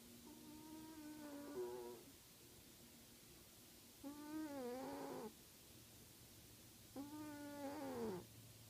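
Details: Mika, a sleeping pet cat, snoring: three drawn-out, nasal, harmonic-rich breaths of about one and a half seconds each, coming roughly every three seconds, each tailing off with a slight downward slide in pitch; faint room hiss between breaths.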